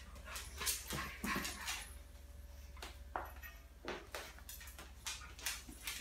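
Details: An 11-week-old female Boston Terrier puppy gives short, high yips and whimpers in quick, uneven bursts while roughly taking on a Rottweiler on a rural farm in France, with a low hum underneath.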